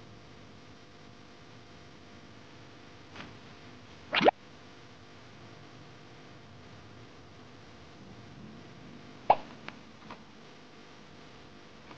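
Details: Steady low hiss indoors broken by a few sharp plops and taps, with no animal voice heard.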